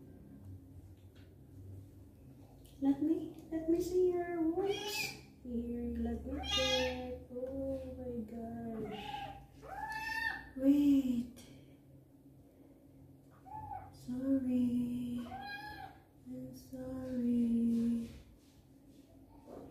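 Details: Male kitten meowing a lot during his first bath while his wounds are cleaned indoors: a run of wavering, mid-pitched meows, some drawn out and falling, about eight in twenty seconds, with low room rumble and a brief human voice.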